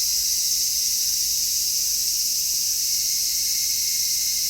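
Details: High summer cicada song recorded in stereo through an MKH-416 microphone: an uninterrupted, sizzling high drone of many insects, loud and level from start to finish, nothing else audible.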